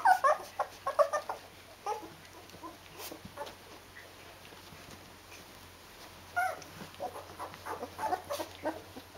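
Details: Rhodesian Ridgeback puppies aged 14 days, kept with their mother, make bursts of high squeaky whimpers. A quieter gap follows, and then more irregular whining yelps return.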